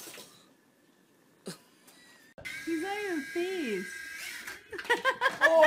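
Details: Cat in a funny compilation, giving two drawn-out meows that rise and then slide downward, followed by shorter higher-pitched vocal sounds and a quiet indoor background.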